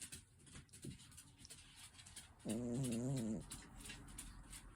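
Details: Sleeping cat snoring in a quiet room, one drawn-out, low buzzy breath lasting almost a second with a slightly wavering pitch, then faint background hiss.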